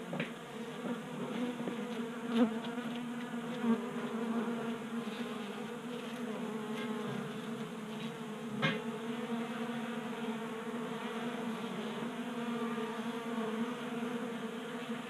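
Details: Several honey bees feed from a 3D-printed feeder in a Colorado garage in January, active in 60-degree late heat; continuous layered buzzing holds a low pitch, with occasional sharp clicks and taps from bees landing.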